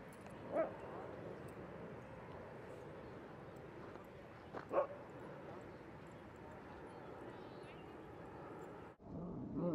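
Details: A dog at Seal Point Dog Park on an overcast day, among playing dogs, gives two short sharp barks about four seconds apart over steady outdoor background murmur, followed by a brief thump and rustle near the end.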